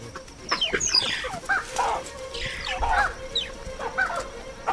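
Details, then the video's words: Mongooses in Africa give a burst of overlapping squeaky chirping alarm calls from several callers, sliding up and down over a low hum, warning of danger in broad daylight; nearby baboons respond swiftly. "mongooses are quick to warn of danger and the baboons respond swiftly to their chirping alarm calls"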